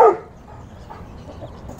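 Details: A dog barking at chickens lets out one short, sharp bark right at the start, followed by a quiet background murmur.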